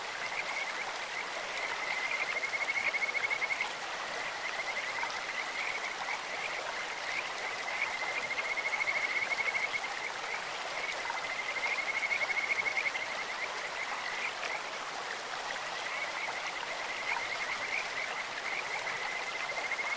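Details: Kajika frogs calling in a clear stream, their bird-like voices forming a steady high whistled trill that swells into louder bouts around three, nine and twelve seconds, over a constant rush of flowing water.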